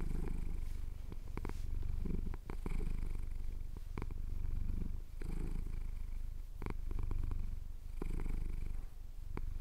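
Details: Chin-scratched male cat purring in the Cotswold hills at dawn, recorded with a Tascam DR-07X: strong, even low-pitched rumble pulsing with each breath, interrupted by small clicking sounds.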